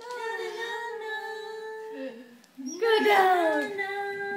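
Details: Roscoe, a pet Basset Hound, sings along indoors to Hey Jude: a long, steady, mournful howl held for two seconds, a brief break, then a louder wavering howl that bends downward, with the song playing behind.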